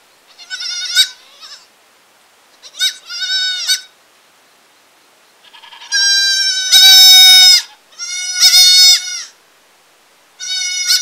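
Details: Repeated bleats from a young village goat, short wavering calls early, then a run of long, loud, strongly harmonic cries in quick succession, no background noise.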